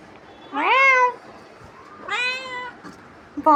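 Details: Pet cat bothering its owner: two clear, rising meows about a second and a half apart, the first stronger, followed by the start of a third.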